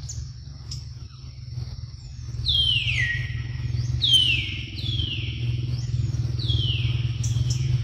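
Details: Baby monkey named Luno being given milk in the morning: clear high squeals, each sliding steeply downward, four in quick succession over about four seconds, above a constant low engine-like rumble.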